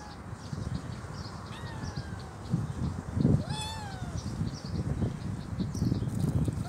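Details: Homeless kitten, hungry, missing both legs and with troubled eyes, lets out one clear drawn-out falling meow midway, preceded by a fainter one, amid rustling, thumping handling noise and steady high pulsed chirps behind.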